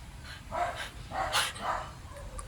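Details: Siberian Huskies at home, one named Maya, pressing for treats while their owner rations the last pieces for tomorrow; three short whining yelps in quick succession over low room noise.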